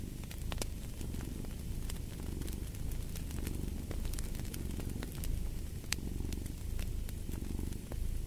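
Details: Domestic cat purring: a deep, steady rumble that swells and eases with each breath, roughly every second and a half, under sharp crackles and pops of a fireplace.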